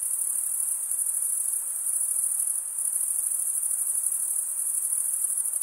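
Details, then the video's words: Chirping crickets, the sound of males stridulating with their toothed wing veins, pour out an unbroken high-pitched buzzy trill that softens briefly midway before resuming at full strength, alone in otherwise quiet surroundings. "Most relaxing cricket sound for 8 hours"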